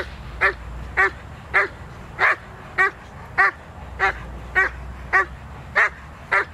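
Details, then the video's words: Zita, a working Doberman Pinscher, barking in protection training on 24 November 2009; even, strong barks roughly every half second, each sharp and harmonic, over a low hum. "Doberman Pinscher "Zita" Protection"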